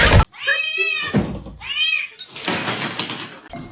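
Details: Domestic cat indoors in a small room, giving two drawn-out, arched meows that rise and fall in pitch, followed by a thump and a stretch of broad rustling noise.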